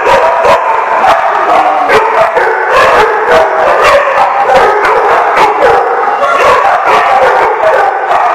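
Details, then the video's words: Steady chorus from numerous dogs at The Barking Lot, 28 August 2015: rapid, irregular barks stack over one another with yips and sustained howling tones filling the echoing room throughout. "The Barking Lot"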